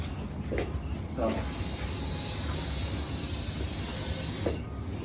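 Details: Russell's viper hissing during a rescue in Maharashtra: a long, loud, breathy hiss holding steady for about three seconds, with a rescuer speaking in Marathi just before and after.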